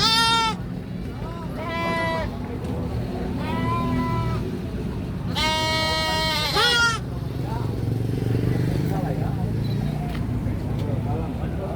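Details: Screaming baby goat: a quick run of five quavering bleats in the first seven seconds, the last one longest and loudest. Afterwards only low rumbling background noise continues.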